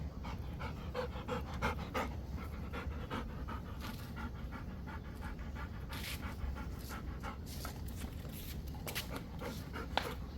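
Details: Rottweiler catching a ball, panting hard and fast, about three breathy pants per second, the rhythm somewhat uneven, with low background rumble throughout.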